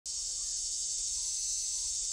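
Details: Summer cicada singing in a steady, unbroken high-pitched buzz that holds level throughout, with no other sounds standing out.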